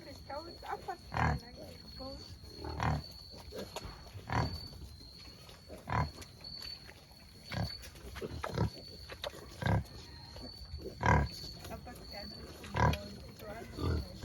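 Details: Albay free-range native black pig farm: brief, broad, low grunt-like bursts recurring about every one and a half seconds, with human speech mixed in and a constant high-pitched whine.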